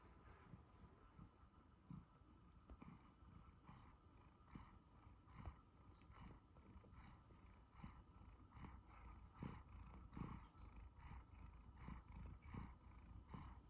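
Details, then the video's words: A one-year-old male Siberian Forest cat purrs steadily while being fussed, a low rumbling drone with soft rustling from being stroked. "Listen to my Siberian Forest cat purr as he is fussed"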